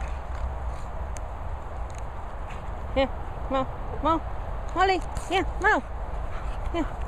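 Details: Two dogs, English Bulldog Moll the Doll and English Bull Terrier Bailey, larking around at play: short arched, nasal yelping whines come in a run of about six over three seconds, over steady outdoor rumble with a person coaxing them.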